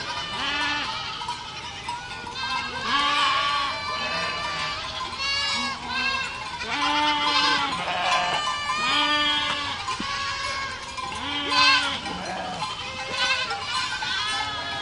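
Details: A goat herd calls continuously, many quavering, nasal bleats overlapping, some high and strained, others lower and steadier, with low drawn-out cries returning roughly every one to two seconds beneath the chorus.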